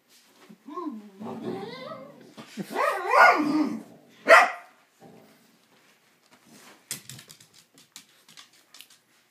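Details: Two dogs, Psyche and Harvey, indoors, making strange noises at each other while playing: drawn-out, wavering whines and yodel-like moans that rise and fall for several seconds, then one sharp bark, followed by soft clicks and shuffling.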